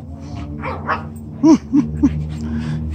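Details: Corgi reacting to being bathed, giving short whining yelps: three quick tonal cries in a row, each dipping in pitch, over steady background hum and music.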